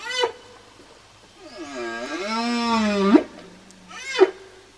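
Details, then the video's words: Whale song phrase: a short rising chirp, then a long drawn, harmonic moan that dips, levels and ends in a sharp upward swoop, followed by another quick upsweep. "ЗВУКИ КИТОВ / КАК ПОЮТ КИТЫ?"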